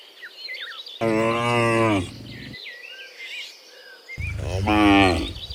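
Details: Morning herd of dozens of cows heading back from the field to the pen; two long, rich lows about three seconds apart, with small birds chirping and twittering in the quiet between them.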